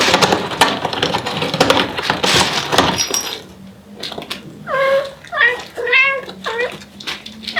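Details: Devon Rex mother cat calling for her kittens: a run of short, harmonic, rising-then-falling chirping meows, about one each half second, after several seconds of loud rustling and clattering indoors.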